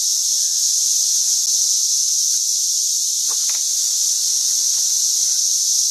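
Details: Massed cicadas in St. Louis during 2011, swarm intensifying daily, produce a relentless high whining buzz; a couple of brief faint chirps appear midway over the constant drone.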